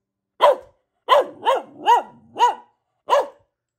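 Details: Female Boxer dog at home barking repeatedly: six sharp, arched barks with a rising-then-falling tone, mostly evenly spaced about half a second apart, a faint low whine between some, otherwise quiet background.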